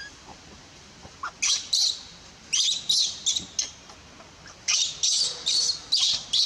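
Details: Young monkey from the Bayon area crying after her mother pushes her off the milk; piercing, noisy high squeals come in uneven runs, growing into rapid back-to-back bursts toward the end.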